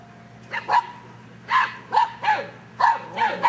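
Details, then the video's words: Seven-week-old English Mastiff puppies barking; short high yips come in scattered pairs and bursts about every half second to second, with quiet gaps between, against a low steady background hum. "English Mastiff Puppies - "I bark, therefore I am""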